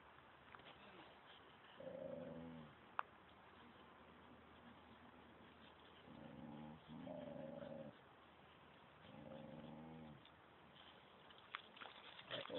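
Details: During a Phuket Dog Resort walk, where Samoyed XASCA leads Thai-mix FELIX, a dog utters three separate short, tonal, wavering moans several seconds apart over a constant background hiss with occasional clicks.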